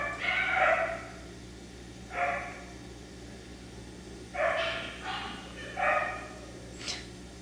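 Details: F1b Cockapoo puppy at Dyer Farms, a Miniature Poodle and Cocker Spaniel cross, barking in irregular bursts: a longer bark, then single barks and a quick double, spaced over several seconds, with a faint low hum throughout.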